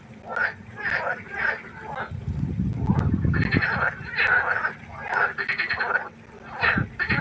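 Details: Night chorus of frogs at a pond: repeated pulsed croaks in quick bursts from several callers, with a deeper rumbling patch of low sound in the middle.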